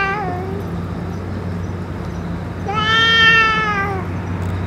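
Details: Stray boss cat after its food and medicine: a faint fading call at the start, then a loud, rich meow of over a second that arches gently in pitch; low hum throughout.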